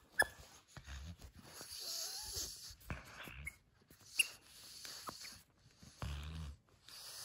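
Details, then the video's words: Nova, a female pug, playing with her crinkle toy: heavy snuffling breaths and short snorts in bursts, mixed with crinkly rustling of the toy and movement sounds. "Pug ASMR - Heavy Breathing | Mouth Sounds"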